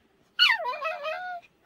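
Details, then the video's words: Pet Pomeranian dog talking back to its owner indoors: one drawn-out, whiny yowl about a second long, starting high and bright, dipping, then holding a wavering tone before stopping. "포메라니안 말대꾸 talking puppy Pomeranian"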